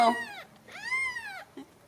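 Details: Ragdoll kittens born and nurtured in a home cattery in central Kansas: a short squeak, then one long, drawn-out high meow that rises and falls, followed by a brief soft sound.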